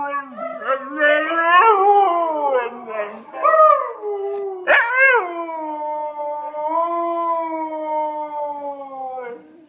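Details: Domestic dog giving a continuous howl, wavering and sliding in pitch with short upward yips mixed in, ending in a long steady falling note; a sharp click near the middle.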